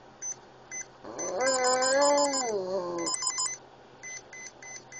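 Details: Oscar, a little Boston Terrier with epilepsy, howls to a Swatch watch's beeps: one steady two-second howl, slightly arching in pitch, framed by evenly repeated electronic beeps.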